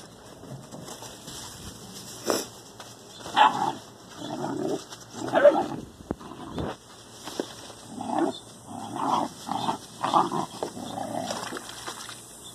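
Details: Ten-week-old Dobermann puppies of the Faberge litter playing together, giving a run of short high yips and squeals, some rising, scattered in bursts through the recording, with quieter scuffling between them.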